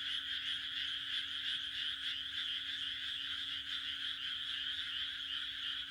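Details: Frogs in the Japanese countryside croaking on a June night, a loud, even chorus of high rasping pulses running without a break over a low steady hum.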